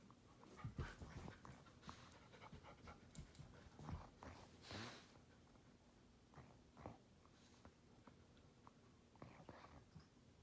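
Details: A male rescue Weimaraner puppy nooks his favorite pillow, making soft wet sucking and snuffling sounds with quiet puffs of breath.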